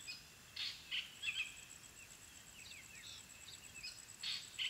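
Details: African wild dog puppies at their den give quick, high, bird-like twittering chirps in clustered bursts, several per second, with pauses between, over a steady thin high insect whine.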